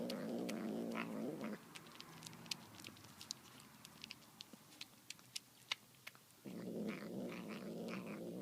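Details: A domestic cat gives a low, rough, rumbling growl-like call while eating tuna, broken by sharp wet clicks of chewing.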